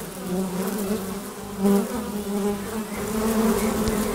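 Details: Bees of a honey bee colony buzzing before their hive entrance: low continuous drone, one bee passing loudly near the middle, then the hum builds a little toward the end.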